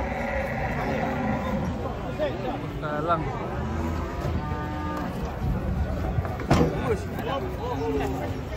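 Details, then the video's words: Agitated cattle being brought down from a truck: short, wavering lows and a longer bellow mixed with human voices and banging. "BUANYAK SAPI LUCU NGAMUK KETANGKEP TURUN DARI TRUK"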